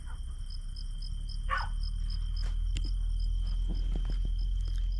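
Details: Crickets chirp at night beside a village garden in high, evenly spaced pulses a few times each second, over a continuous thin whine and trill from other night insects, with a low distant rumble underneath.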